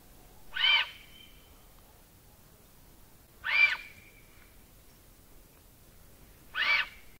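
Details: Common reedbuck (Redunca arundinum) in Southern Africa whistling: three sharp, breathy whistles about three seconds apart, each a short hissing burst with a high tone trailing off, over a quiet background.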